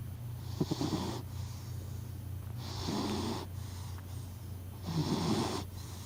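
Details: Sleeping cat Hachi snores at close range, each breath a broad airy rasp lasting about a second, three of them spaced about two seconds apart, with a faint low background hum throughout.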